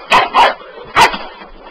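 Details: Bull Terrier puppy going nuts over a sweeper, wanting to attack it: three short, sharp barks in quick succession, the first two close together, the third after a brief pause, in a quiet room.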